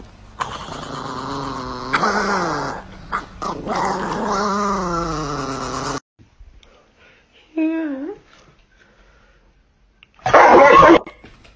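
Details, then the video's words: Dog in a funny pet compilation giving drawn-out, wavering howl-like vocalizations with a growly edge for about six seconds, then a short rising whine and a loud harsh burst, indoors with a person's voice nearby. "Funny Dog Videos Compilation"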